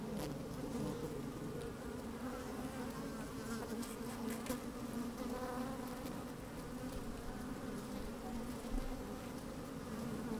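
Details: Honey bees at work inside an opened hive on a fine, sunny day, microphone slid down among the combs: a dense, steady low hum with a wavering tone, soft rustling and occasional louder buzzes, a little wind.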